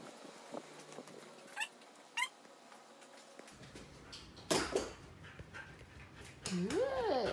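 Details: Siberian Husky named Bunta at home, trying to wake its owner; short rising squeaky whines, then a louder wavering, yodel-like whine at the end over a quiet room.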